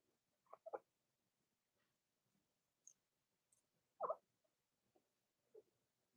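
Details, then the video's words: Three-week-old Blenheim Cavalier King Charles Spaniel puppies from Robin's litter, born September 15, 2022, indoors overnight: short high squeaks and whimpers in scattered bursts, one louder squeal near the middle, quiet room between calls. "Robin's 3-week-old Puppies Overnight Livestream: Blenheim Cavalier Puppies"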